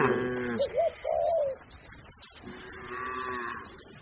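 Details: Cattle herd grazing on a wide green pasture: a wavering, rising moo with rich harmonics, then a pause and a longer, steadier lower moo, over soft background noise.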